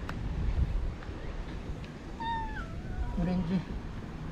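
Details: Stray cat in a Japanese park, the morning after a typhoon passed, checked on by a volunteer who calls the cats Pink and Orange by name; a single mid-pitched meow bending downward, over low rumbling background noise.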